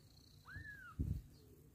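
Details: Mother cat with adopted kittens: a single clear mew that rises sharply, then slowly glides down over half a second, followed by a short low thump and quiet background hum.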